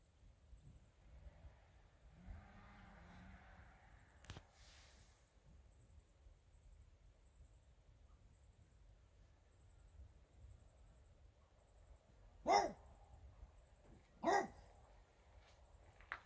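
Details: Regis the French Bulldog barking at fairies: a long quiet stretch with faint low rumbles, then two sharp, loud barks about two seconds apart near the end, and a small click at the close.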